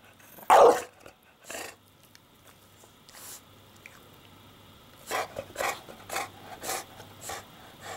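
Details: English Bulldog Porkchop, nesting in laundry and bothered by the camera, fires one loud bark, then softer huffs and a run of quick muffled grumbling yips toward the end.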